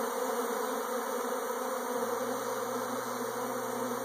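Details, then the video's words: Bees in a swarm make a continuous, thick buzzing drone with no breaks. A low steady electrical-sounding tone joins halfway through. "Bees Swarming"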